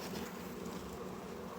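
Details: Disturbed honey bees at a hive whose frames are being pulled for inspection, expected to turn angry; a continuous low, even buzzing drone with no breaks.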